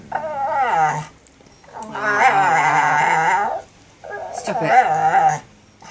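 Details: Pet dog making weird sooky noises indoors: three drawn-out, wavering whine-like vocal bursts with rich harmonics, pitch sliding up and down, separated by short silent gaps.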